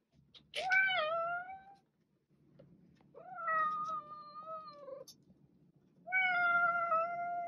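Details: Cat giving three drawn-out meows about two seconds apart, each starting with a short rise then holding a steady, slightly wavering tone, the middle one quieter and falling at the end, over a faint background hum.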